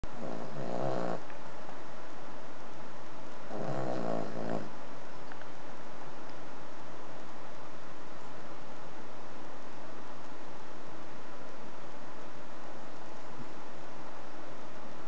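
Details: A 3.5-year-old Cavalier King Charles Spaniel, a habitual snorer, snores in deep, rasping breaths, with two loud snores early on.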